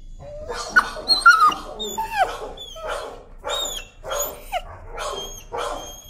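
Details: Leash-sensitive timid dog screaming in protest during a walk: a run of about seven sharp, rising squealing yelps roughly every half second, with thin whistling overtones and no clear speech.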